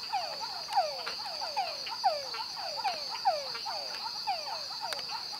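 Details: Yellow tree frogs (Dendropsophus microcephalus) in Santa Rosa National Park, Costa Rica, 2013, give rapid, high chirps that sweep downward, several callers overlapping over a steady insect hum.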